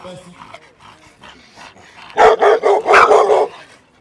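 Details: Bullmastiffs almost fighting over attention; after quieter murmurs and voices, a burst of five or six loud, deep barks in quick succession, then fading.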